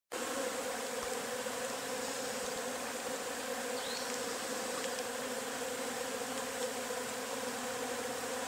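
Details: Many Agelaia pallipes wasps swarm out of their nest, making a dense, steady buzzing.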